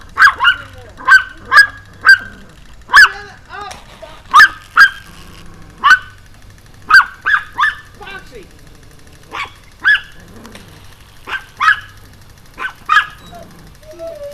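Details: Pomeranian barking relentlessly while jumping, filmed on an evening in June 2012; sharp high yaps come in quick runs, about two per second, with brief pauses and soft whines between bursts.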